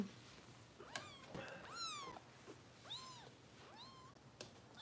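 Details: Foster kitten Harper during bottle feeding with Kitten Rescue volunteers in Los Angeles, giving about four high, arched meows, each rising then falling, spaced roughly a second apart, over a quiet indoor background.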